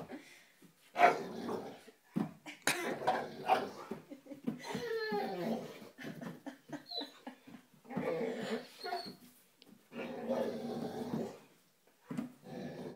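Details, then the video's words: Indoors before bed, the five-month-old Great Dane puppy Tom faces the mirror and makes repeated short whimpers, yips and huffs in uneven bursts, with scrabbling paws and a person's quiet voice between them. "Great Dane: Tom Vs The Mirror"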